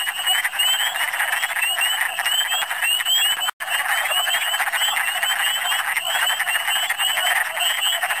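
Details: Wood frogs massed in big numbers in Michigan in spring, a dense continuous chorus of overlapping clucking, croaking calls, with thin higher chirps layered above and a brief break near the midpoint.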